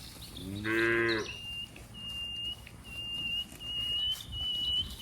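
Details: A cow among dozens in green rice fields gives one short, harmonic moo, followed by repeated high thin bird whistles and faint background noise.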